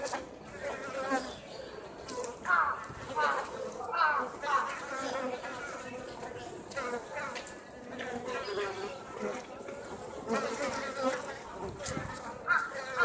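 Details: Japanese honey bees at Osaka Castle on a mild late-autumn day, the colony entering overwintering, fly out to forage, buzzing steadily in a wavering hum of overlapping wingbeats with faint voices behind.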